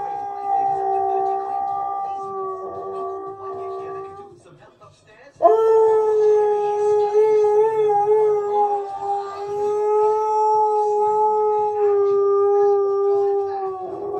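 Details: Key, a pet Siberian Husky, sings along to a TV advert, producing long, steady, tonal howls with rich overtones. A brief pause near the middle precedes a second, louder sustained howl that holds level, with faint background sound underneath.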